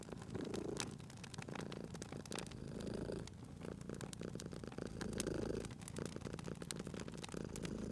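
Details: Cozy fireside scene with a sleeping cat: low, throaty purr rising and falling in slow waves about every two to two and a half seconds, while the fire crackles with frequent bright clicks and pops.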